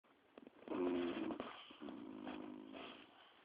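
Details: Dogs Chaos and B chillaxing on a sofa indoors; two rasping, harmonic snores, a short one followed by a longer, steadier drawn-out breath, with faint sniffs at the start.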